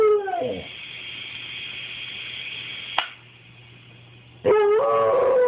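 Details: A pet dog howls at a toy helicopter, a wavering harmonic cry at the start and again at the end, broken by a steady, high motor whine from the toy.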